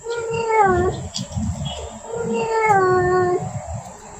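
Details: Female cat in heat calling for a male, giving two long, level, moaning yowls of about a second each, over a rumbling low background noise.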